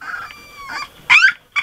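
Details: A 3-week-old Golden Retriever puppy fusses with a thin, wavering whine and then two sharp, squeaky yips. He escaped his whelping bed earlier and is frustrated that the rail he climbed out on has been removed.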